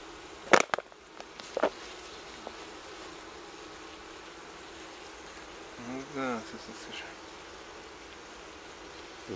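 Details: Wild honey bee colony near Kiev, Ukraine, from a four-comb forest nest on a fallen tree close to the ground, being smoked and moved into a hive; a steady low hum of bees, sharp knocks early on, brief human voice near the end.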